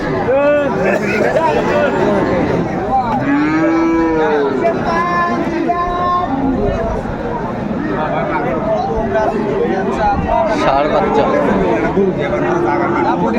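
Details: Friesian and crossbred cattle on sale at Raniganj haat, Dinajpur, on 2 May 2024, give scattered moos, with a strong arched bellow near four seconds. Bargaining voices and market chatter fill the background.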